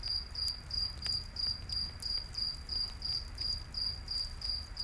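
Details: Night-forest crickets calling near a campfire, their high pulsed chirps repeating evenly about three times a second over a soft low roar, with occasional crackling snaps from burning wood.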